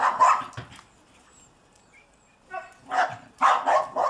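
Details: Seven-month-old German Shepherd at play in snow barks in two rough, rapid clusters separated by a two-second silence, each bark broad and gruff.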